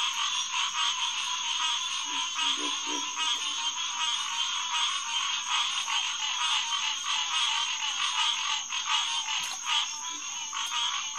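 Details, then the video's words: Around 9:10pm on June 2, 2021, green tree frogs chorus at a refuge pond at SMNWR: a thick, pulsing din of overlapping calls, with a short burst of low, knocking grunts about two seconds in. "Green Tree Frog Chorus"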